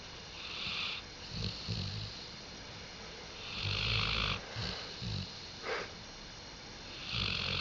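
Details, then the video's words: Dog named Diesel snoring, recorded 5 October 2011: rough, breathy snores in slow bursts roughly every one to two seconds, with low rumbling and hissy upper noise, louder swells near the middle and end. "Дизель Храпит"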